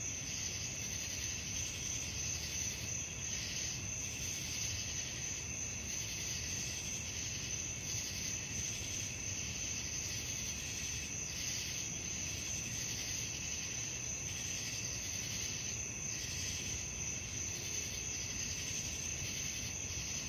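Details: A nighttime cricket chorus meant to lull listeners to sleep: unbroken high trilling that pulses in regular soft beats throughout, layered over faint low-pitched background hum.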